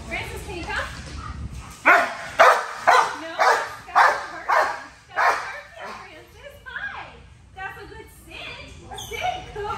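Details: Hound mix dog named Francis lets out a quick run of about eight loud, sharp barks, roughly two each second, framed by a woman talking indoors before and after the burst.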